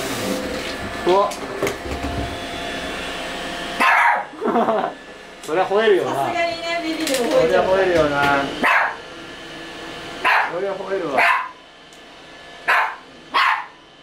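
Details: A toy poodle gives sharp, high yapping barks at a newly started robot vacuum, threatening it out of fear, amid excited human chatter and the machine's hum.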